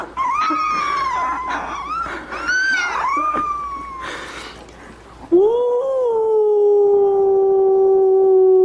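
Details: Puppy learning to howl, giving wavering, rising-and-falling howls with faint background noise, ending in one long, steady, clear howl that slowly drops in pitch.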